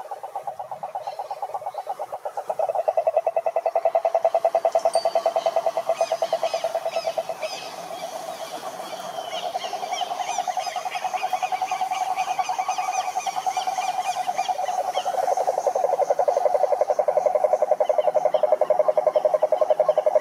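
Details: Long stretch of toads croaking to attract mates, a fast pulsing trill at a mid pitch that starts softly, grows louder after a couple of seconds, and continues in overlapping waves, strongest in the final seconds.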